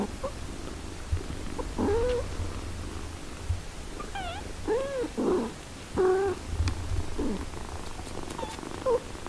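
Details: Eight-day-old kittens with their mother cat, who nurses and tends them; repeated high, thin mews, some arched and some stacked, come every second or so over a faint low purr.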